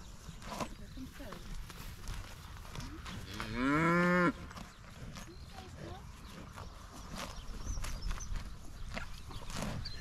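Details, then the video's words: Highland cattle in a herd excited at being fed fresh grass after eating hay, with a new calf running about. One loud, tonal moo of about a second near the middle, harmonic and slightly rising, against faint outdoor background and a person's voice. "Feeding Highland Cattle Fresh Grass - Excited Herd"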